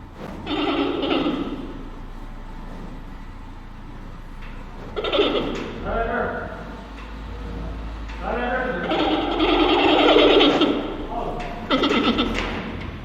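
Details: A giant panda gives a couple of initial bleats, then bleating chirps, nasal goat-like notes aimed at a neighbouring panda, a sign of interest and possible mating.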